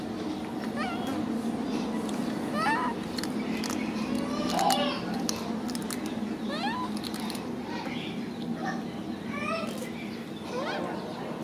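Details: A macaque cries as he hugs his favourite food package: repeated short, upward-sweeping squeals and whines about every two seconds, set against a constant low rumble and intermittent tapping noises.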